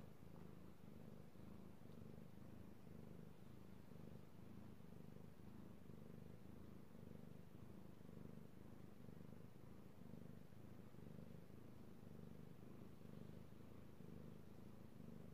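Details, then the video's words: Domestic cat purring steadily while being petted indoors, recorded 16 March 2018; a low continuous rumble with soft pulsing about once a second, fairly even throughout, no other clear sounds. "ASMR Cat Purring"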